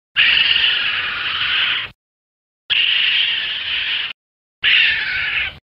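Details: A raccoon (Procyon lotor) calls with three harsh, raspy screeches, each lasting a second or two, with brief silences between.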